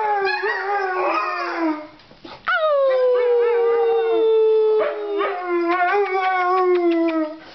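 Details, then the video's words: Puppies of snow dogs howl as a group: a short burst of wavering cries, a brief pause, then one long clear howl falling gently in pitch while other voices join and trail off. "Howling snow dogs"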